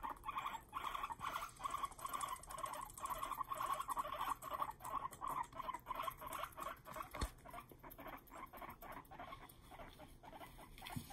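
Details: Pet guinea pig, one of a pair of boys, angrily chattering its teeth at its companion when the two are kept apart; rapid dry clicking bursts, about two or three a second, fairly regular over a faint background.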